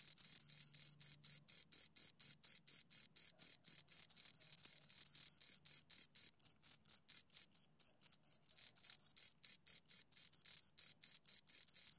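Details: Loud, high-pitched cricket chirping from two insects, dense pulses at around five per second with brief pauses and slightly faster runs near the end, a faint overtone above, no other sounds.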